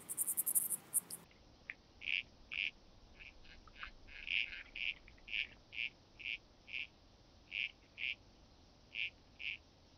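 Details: Calliptamus siciliae grasshopper at Arzo, Switzerland, 6 August 2023, captured with an ultrasound detector: short rasping chirps repeated about twice a second in an uneven series, following a brief burst of high hiss at the start.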